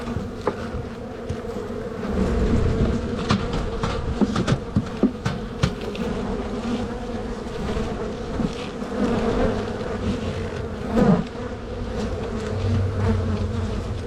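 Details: Honey bees humming during a spring walk-away hive split, from a strong colony full of bees close to swarming; a steady low droning hum with sharp clicks and knocks as frames are handled.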